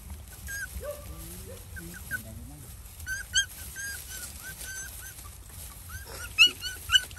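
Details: Hungry village dogs, a mother and her puppies, waiting to be fed outdoors; thin high rising whines come in scattered bursts, with a few lower wavering cries early on and soft rural background noise.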